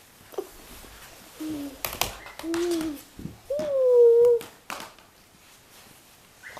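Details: Miniature Australian Shepherd puppies whimpering indoors: short, soft whines build to a longer, louder wavering cry, mixed with clicks and thumps of handling.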